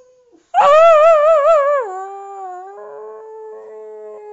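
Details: At home, a Boxer joins its owner in howling: a loud, strongly quavering howl with fast vibrato for over a second, then dropping into a lower, softer, steady tone held to the end.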